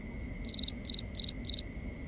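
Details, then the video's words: Crickets calling at night in a binaural recording: four high, bright chirps of three or four quick pulses each, spaced about a third of a second apart, over faint steady high tones and a soft low background hum. "Cricket Conversations | Binaural Nighttime Ambience"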